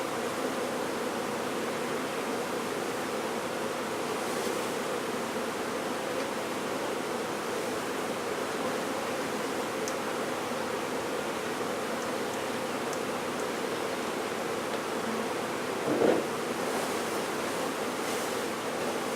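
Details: Honey bee swarm being safely removed and relocated in Brownsville, Texas, with its queen located. A dense, steady droning hum fills the whole stretch without pause, with a brief soft knock near the end.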